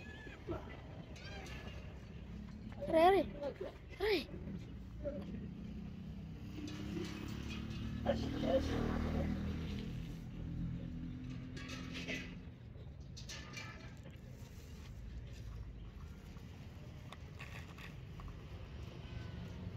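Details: Hungry abandoned street cats being fed; two loud, wavering meows rise and fall early on, then shuffling, rustling and a person urging them to hurry.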